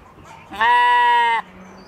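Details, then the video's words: One evening on a Michigan homestead, a playful Katahdin sheep lets out one strong, flat, buzzy baa of almost a second. The bleat starts and stops abruptly with a low hum and faint farm background. "Sheep Playing | Sheep Zoomies | Homestead Evening Sounds"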